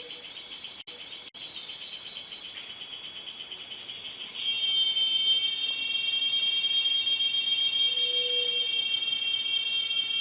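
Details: Cicada singing in a high, insistent buzz that swells louder about halfway through, as a sharper, clearer whining tone joins and carries on steadily to the end.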